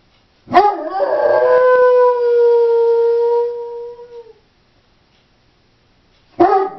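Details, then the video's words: Left home alone, a female Doberman starts with a rough, wavering attack that smooths into a long, steady tonal howl lasting nearly four seconds, then a pause and the abrupt start of the next howl. "Howling Doberman"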